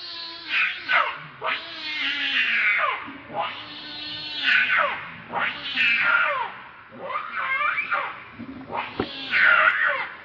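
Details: Hungry baby monkey named Leo crying to its mother for milk, very angry: shrill, strained wailing cries with rich overtones, arching up and falling in long drawn bursts, about every two seconds, a low steady hum underneath.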